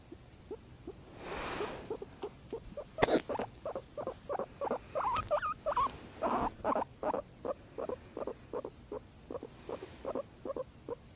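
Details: Domestic guinea pig that purrs whenever its owner hiccups, giving a long, steady series of short throbbing pulses, a few per second, after a brief rustle and a sharp click early on.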